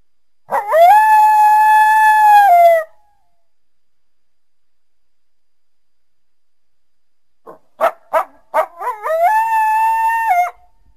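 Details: On a winter day, a coyote calls through the trees near a backyard with a long, steady howl, then a run of sharp yips rising into another wavering howl.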